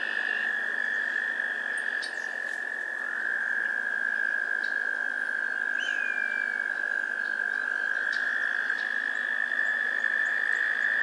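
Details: American toads trill in a spring swamp in Maynard, Massachusetts, on May 2 and 7, 2024: long, steady, high musical trills that overlap and run without a break. Faint chirps come from birds including red-winged blackbirds, titmice and song sparrows.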